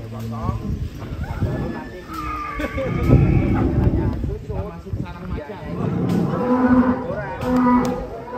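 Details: Rossi, a giant champion cow weighing about 1.3 tonnes and winner of a recent contest, carrying a young boy on its back; low, drawn-out moos rise near the end over lively chatter from onlookers.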